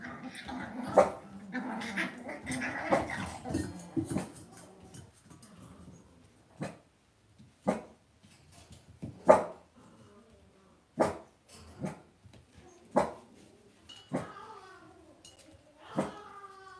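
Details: Indoor pen of Cavalier King Charles Spaniel puppies: a rough, rumbling growl for the first few seconds, then sharp knocks and clicks, ending with thin falling whines near the close.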